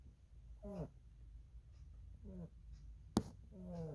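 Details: Lily, a rabbit, asleep and snoring: three brief squeaky, wheezing breaths with falling pitch, evenly spaced, and one sharp click near the end, with low steady hum underneath.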